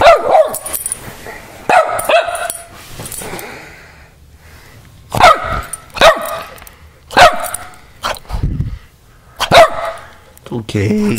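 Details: An angry Boston Terrier gives sharp, agitated barks in short bursts, with a person talking nearby.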